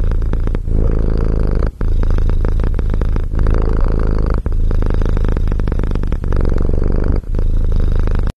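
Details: Loud, close kitten purr, a dense continuous low buzzing rumble broken only by brief breath pauses every one to two seconds.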